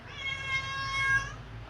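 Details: Domestic cat, a young male waiting for his mother, gives one drawn-out meow of about a second with steady stacked harmonics, set against a quiet indoor background.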